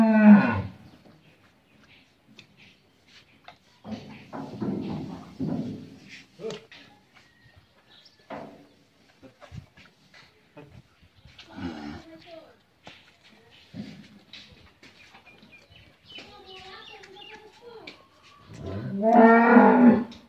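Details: Friesian cow with her bull calf, offered for sale on a Bangladeshi dairy farm in Pabna; low moos at the start, middle and end, separated by quiet stretches, with people talking nearby.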